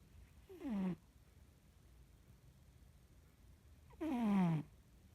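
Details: Sleeping cat snoring indoors: two short breathy snores, each a falling harmonic rasp about half a second long, about three seconds apart, over quiet low hum.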